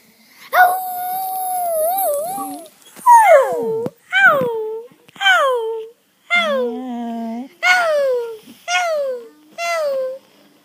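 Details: Maisy, a dog 'talking' and seeming to say 'Ralph', gives a long wavering tone followed by a string of about eight short rising-then-falling yowls, roughly one per second.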